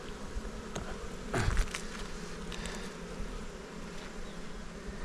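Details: {'caption': "Honey bees at a beekeeper's hives on Jirisan, Korea, give a steady low hum, broken by one brief loud rustling burst early on before the drone settles again."}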